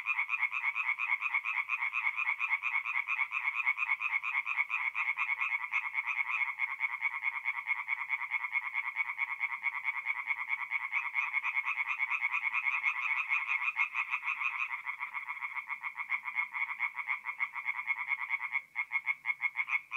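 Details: Tree frogs singing at night at a forest pond in mid-April, North-East Italy: a dense chorus of rapid, pulsed croaks repeated over two per second, overlapping voices forming a continuous rattling band that shifts slightly after fifteen seconds.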